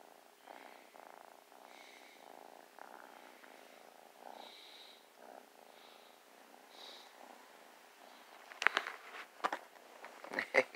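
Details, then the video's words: Snuggling new kitten gives a soft pulsing purr, faint at first, then loud rustles and handling noises near the end. "New kitten so playful and loving just purrs and snuggles"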